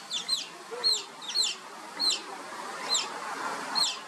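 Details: Oriental small-clawed otter pups playing, calling with bright squeaky whistles that drop sharply in pitch, repeated about every half to one second in a steady series over a soft noisy background.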